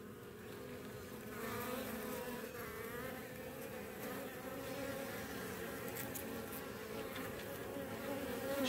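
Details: Morning at Baltimore beehives, where the colony seized and killed a scouting European hornet queen; sustained, dense buzz of many bees with wavering tones, growing slightly louder toward the end.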